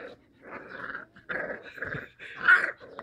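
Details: Labrador Retriever puppies giving low, rasping growls in uneven pulses, ending with a louder, sharper yelp-like growl indoors.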